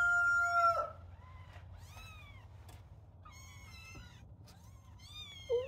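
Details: Little kittens starting to climb while playing; a loud, steady drawn-out call opens, then a string of high, bending kitten meows follows at roughly one-second intervals.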